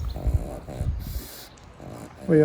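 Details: Pug named Pam Pam, sleeping and napping after too much playtime, gives two short, low rumbling snorts in quick succession, then a brief quiet pause before a human voice starts speaking.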